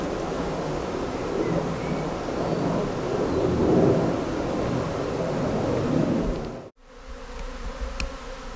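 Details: Honey bee swarm in Britain, a colony on the move looking for a new home; continuous low humming drone swelling slightly toward the middle, then an abrupt break followed by quieter buzzing.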